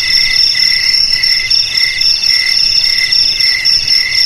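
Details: Jangkrik chorus said to scare away rats: an unbroken shrill ringing trill on top, with lower chirping pulses coming in quick, even bursts roughly twice a second throughout.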